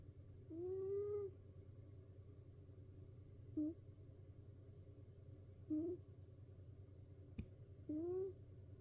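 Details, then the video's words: A house cat snoring in a multi-cat home, where a companion cat keeps fleeing the noise: a rising, whistled tone on each breath, about every two seconds, over a steady low hum. "猫だってたまらん！いびきから逃げ出す猫Cat snoring."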